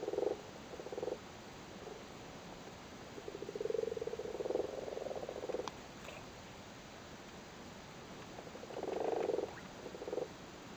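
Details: Irish frogs sitting on their spawn in a flooded cattle grid in Cork: low purring croak bursts, a long soft run in the middle and a louder burst near the end, with quiet gaps.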